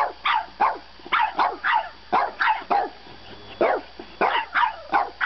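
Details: A French bulldog puppy argues over bedtime with a rapid string of high, nasal yaps, each sharply falling, coming in pairs and triplets about every second in a quiet indoor room.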